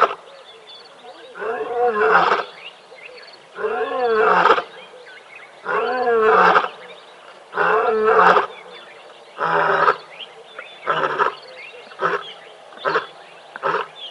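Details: Playful, vocal lions at Tembe Elephant Park, filmed on a live cam on the morning of 24 May 2021, give a run of about eight loud, rasping moaning calls, roughly every one to two seconds. Faint high bird chirps sound in the background.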